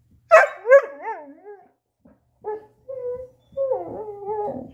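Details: Chaco, a female black Labrador-Coonhound mix, trying to get her ball out; loud yelping barks slide into wavering high whines, then short yips and a long warbling whine, quiet room.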